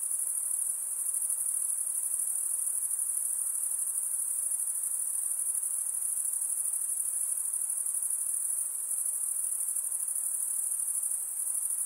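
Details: Nocturnal insects produce a sustained shrill buzzing chorus, evenly loud and tightly pulsed, with a gentle background hiss and nothing else distinct.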